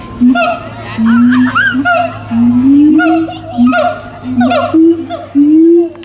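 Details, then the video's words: Captive siamangs at the Tulsa Zoo on 21 December 2017 in a "caroling" bout: repeated loud hoots that slide upward, stepping higher in series, mixed with sharp swooping whoops, over a steady low hum. "Siamang "Caroling""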